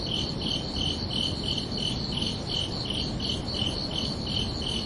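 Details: Crickets chirping under a night sky on a summer evening: a steady train of high, pulsed chirps, about three per second, over a constant low rumble of background noise.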